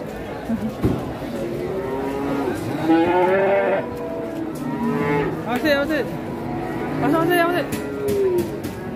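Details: Angry cattle unloaded from a truck in Indonesia moo repeatedly over nine seconds, with several drawn-out, wavering lows overlapping and rising and falling in pitch, amid clatter and a few background voices.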